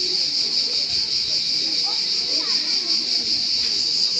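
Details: Cricket giving a steady, shrill, high-pitched trill made of fast, even pulses that runs unbroken throughout, over faint low murmuring in the background.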